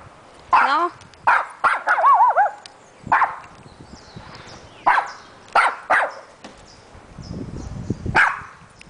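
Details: A dog meeting a poodle barks and yips repeatedly, about eight sharp bursts spread over nine seconds, some with rising and falling whining tones, while a person greets it in Spanish.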